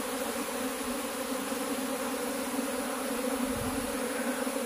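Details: Honey bees kept for cultivation at an apiary, the keeper hunting for the queen; a steady, dense droning hum with no breaks, holding even throughout.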